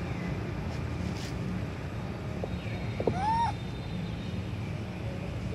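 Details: Baby monkey Sweet Pea crying on a tree while hungry for milk: a single loud, arched whining cry, rising then falling, about half a second long, over steady low background rumble.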